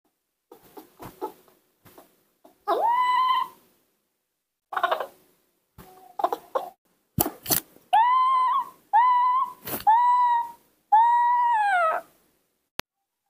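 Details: Newborn baby monkeys, raised by hand and trying to learn to walk, give a run of drawn-out tonal cries, each about a second long with rich overtones and a slight arch. Softer short squeaks and scattered clicks come early, then silence gaps.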